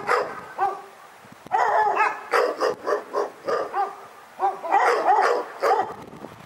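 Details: Dog barking persistently in loud, ringing, high-pitched barks, some yelping and wavering, coming in uneven clusters after a brief quieter start, with a faint background hiss.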